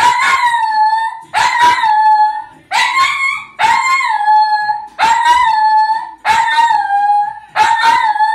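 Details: Dog singing along in front of the TV: a series of sustained, slightly wavering howls, each beginning with a brief harsh onset, coming about every 1.3 seconds.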